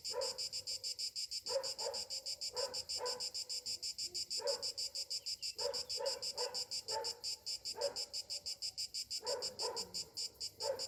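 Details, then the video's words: High, rhythmically throbbing insect drone from cicadas on a summer morning, continuous across the whole stretch, with intermittent lower, coarse bursts scattered between pauses. "Morning summer cicadas sounds"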